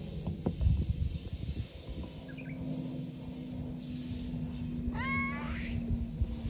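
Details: Free-roaming cat on Aoshima cat island, Japan, approaching a bench and meowing, 30 April 2024. A faint short mew, then one clear wavering meow near the end, with low rumbling background noise throughout.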